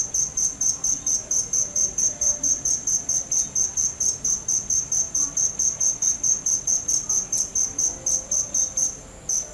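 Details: A cricket keeps up a regular series of piercing, high chirps, about two each second, ending in a short pause near the close; soft faint rumble underneath.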